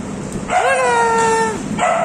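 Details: ;Female Alaskan Malamute with her friends: a single drawn-out tonal woo about one second long, rising briefly then holding steady and sliding down at the end, rich in harmonics, with shorter higher yelps before and after.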